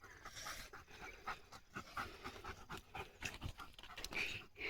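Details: Leo, a German Shepherd pet dog, panting hard after running and playing with his owner through open green countryside; quick, breathy huffs repeat at an uneven, fast rhythm, with rustling and faint outdoor noise around.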